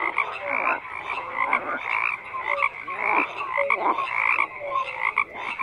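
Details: Chorus of frogs croaking, many voices overlapping in raspy rattles and brief whistled notes, a continuous pulsing din.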